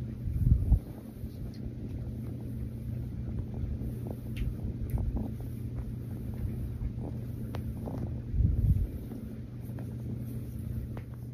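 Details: Rescue kitten Mazie purrs during a cuddle. A continuous deep rumble swells louder twice, at the start and again near the end, with light handling noise over the low drone.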